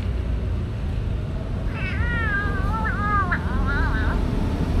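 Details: Stray cats being fed, recorded on a DJI Osmo Action: one drawn-out, wavering meow lasting about two and a half seconds, bending up and down in pitch, over a steady low rumble like traffic.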